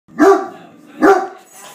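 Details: Great Dane attacking a beer keg in attack mode, giving two deep, loud barks about a second apart, each a short burst with a rough, harmonic ring. Brief quiet lull between them.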